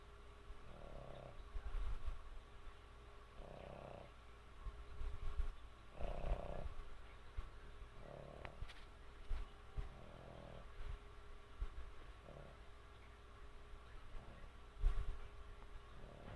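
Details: Snores from Sammy the dog while asleep, a regular series of muffled, raspy breaths about every two seconds, some louder than others, over a continuous low droning hum.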